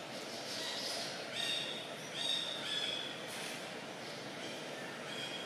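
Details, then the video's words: Young monkey Janet cries loudly while being handled hard by April, her mother Jane not helping, among Siem Reap Province troops in Cambodia; thin, high, squealing wails come in short bursts over steady background hiss. "Janet Cry Loudly"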